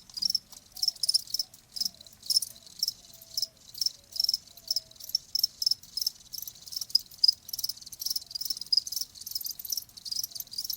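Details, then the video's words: Continuous high cricket chirps in rapid pulsed bursts, repeated roughly every half second, with a faint low tone briefly underneath; presented as a calming nature sound for tinnitus. "자연의 소리 ㅣ 귀뚜라미 1시간"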